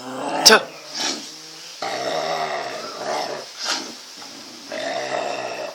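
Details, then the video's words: Cocker spaniel fighting a street dog: low, sustained rumbling growls rise and fall in long stretches, broken by a sharp snap, while people talk and shout over the scuffle. "cocker spaniel டாக் DOG FIGHT WITH STEET DOG"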